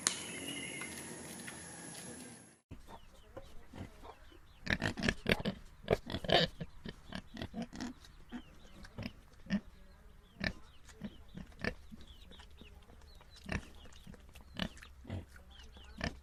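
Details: Pigs, domestic and wild farm animals at a pigsty, grunting after a short stretch of steady noise: repeated brief, rough, low grunts, clustered around the middle, then spaced every second or two.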